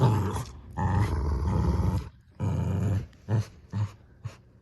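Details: Growls from two dogs tugging at a new toy duck: two long rumbling stretches, then a few short, clipped growls near the end.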